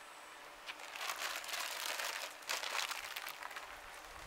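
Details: Dense crackling and crinkling noise fills most of the recording, with no animal call heard.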